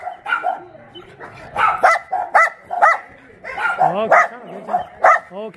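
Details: Several abandoned dogs at Mindeulle Shelter, an abandoned-dog shelter in Yangsan, bark in an overlapping chorus: short sharp barks and higher yelping arcs, loud bursts every half second or so with no quiet gaps.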